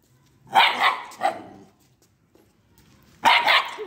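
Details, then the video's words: A two-month-old Italian Greyhound puppy barks at an unknown boy: a pair of sharp, high barks, a quiet gap of over a second, then another loud bark. "Greyhound barking to a unknown boy"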